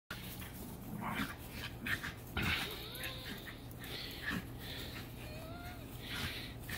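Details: A black-and-tan Shiba Inu makes short, whiny grumbles and yelps during a zoomie play bout with a smaller Shiba Inu–Chihuahua mix.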